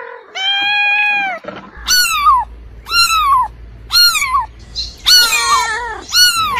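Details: A domestic cat lets out one long, even meow, then a run of five shorter, higher meows that drop in pitch, the later ones rougher and closely spaced.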